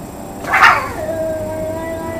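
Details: A cat wailing in a plaintive way during a near-daily confrontation with another cat; a brief harsh burst settles into a steady, drawn-out moaning tone.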